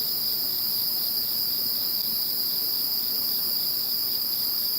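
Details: Post-typhoon insect voices (Typhoon No. 21): an even, sustained wall of high-pitched trilling at several overlapping pitches, steady throughout, with quiet low rumble beneath.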